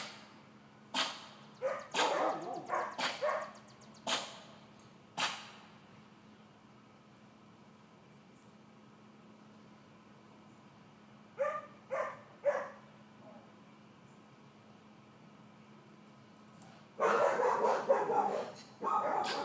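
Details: Georgia, a four-month-old female miniature dachshund puppy in leash and calmness training, gives sharp barks in a cluster over the first five seconds, then two or three more near twelve seconds and a longer noisy burst at the end.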